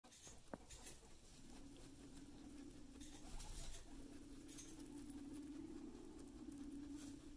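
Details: Guinea pig eating hay, then running away; a low, steady, pulsing hum runs through most of the recording, over soft rustling and patter from hay and small movements, with a sharp click near the start.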